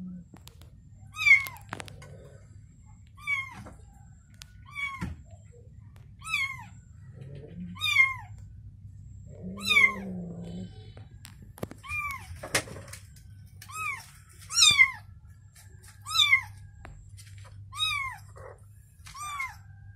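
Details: Mother cat and newborn kitten indoors: high, thin descending mews repeated every one to two seconds, steady and insistent, with light handling thumps and a faint low hum underneath.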